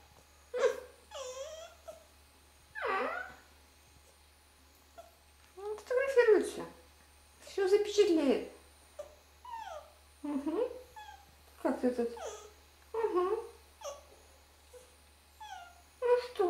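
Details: Red fox being photographed while people talk to it in Russian: a run of whining, wavering moans, many sliding downward, some with a rough, breathy edge. The calls come in irregular bursts, mixed with human voices.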